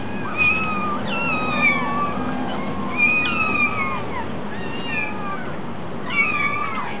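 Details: Meows of a hungry kitten at a cat cafe: bright, drawn-out cries bending downward, coming in clusters about every second or so, some overlapping, over a constant low room hum.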